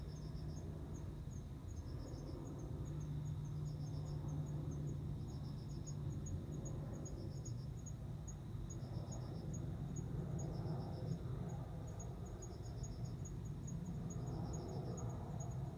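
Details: Male cricket calling to a female, which answers by accepting him as a mate. Evenly spaced pulsed chirps repeat about every two seconds, steady and high, beside a faint ticking insect and a continuous low hum.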